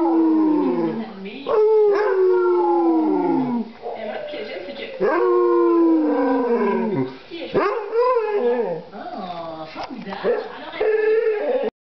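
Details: Basset Hound in a sustained bout of howling: several long, mournful notes, each sliding gradually downward, separated by short breaks and quick yelping inflections over about twelve seconds.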